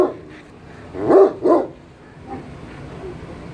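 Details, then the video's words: An American Bully dog from Pakistan gives two short, harsh barks in quick succession, followed by a quiet background hum. "BULLY KUTTA"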